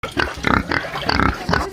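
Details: Pig on a farm grunting in short, rough bursts, about four grunts in under two seconds, each harsh and noisy with a nasal tone.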